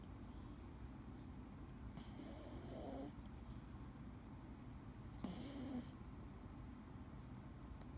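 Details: Sleeping Scottish Fold tomcat Dee gives two slow snoring breaths about three seconds apart, each a hissy, airy draw with a faint low rasp, separated by quiet pauses in a still indoor setting.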